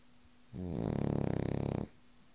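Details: A sleeping Cavalier King Charles Spaniel gives one drawn-out snore lasting over a second, a low rumbling rattle with a fast fluttering pulse, quiet before and after.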